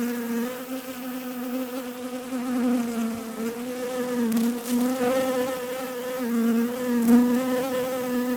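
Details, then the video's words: Bees buzzing: a steady, low droning hum with rich overtones. The pitch wavers gently up and down throughout, with the loudness swelling slightly near the end. "Relaxing Bees Buzzing Sounds"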